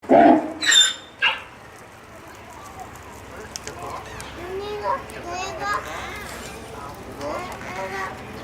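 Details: Grévy's zebra family at Kyoto City Zoo on 30 May 2019, the stallion Nanato with the mare Mindy and their son Minto; a brief call of three loud, harsh bursts within the first second and a half, followed by steady chatter of human voices.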